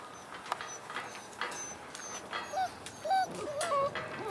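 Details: Six-week-old Frenchie x wolf pups giving short high whimpers and squeaky whines, rising then falling, a few clustered in the second half between soft rustling and a faint background hiss.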